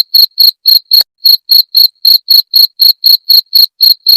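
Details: Cricket calling, the sound used to drive away rats: loud, evenly spaced high-pitched chirps, about four a second, each bright pulse topped by a thin higher overtone. Sixteen chirps come in steady succession with no other sounds.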